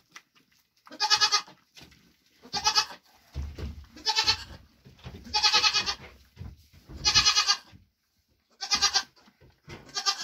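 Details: Grain ration for a Nigerian Dwarf goat mother after her hooves were trimmed, her triplets born June 18th 2023; a rapid series of seven harsh bleats roughly every one to one and a half seconds, with low thumping underneath.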